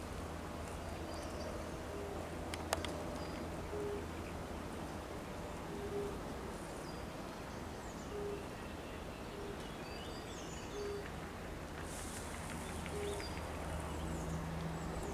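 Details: European fire-bellied toads (Bombina bombina) give soft, mellow 'oop' notes every second or two, with faint birdsong behind, at the Raszyn Ponds, Poland, on 10 May 2021.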